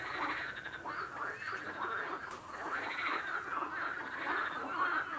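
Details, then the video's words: Frogs calling together in a dense chorus, overlapping croaks and rattling notes packed between mid and high pitch, a steady continuous din with no clear pauses. "Frog Sound | Bruit de Grenouille | Kurbağa Sesi"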